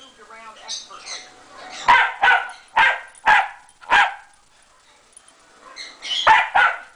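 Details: Dogs Moe and Porter at play on a Sunday morning: a soft, wavering whine-like sound opens, then five loud, clipped barks follow at roughly half-second intervals, a pause, and two more barks close it.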